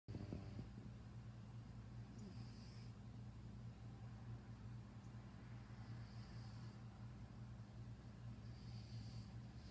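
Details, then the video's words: An F5 Savannah cat snores softly, each airy, hissing breath coming about every three to four seconds. "Savannah cat snoring"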